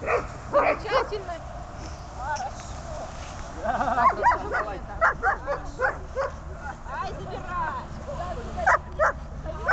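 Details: Dobermann in bark training, giving bursts of short, sharp barks at uneven intervals, some clustered in quick runs, with low steady background hum.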